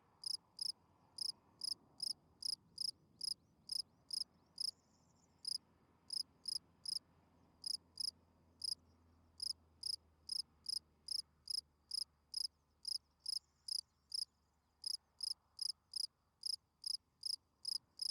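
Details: Night-singing field cricket producing a steady stream of crisp, high chirps, roughly two per second, evenly spaced with only brief gaps, against a quiet low rumble.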